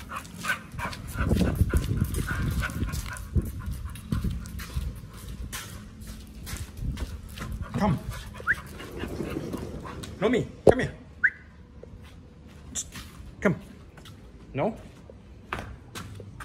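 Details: Two pit bulls, Oliang and Nomyen, crunching raw quail and giant sea bass skin; heavy rapid chewing early, then sparse single crunches and bites, with a person's voice at times.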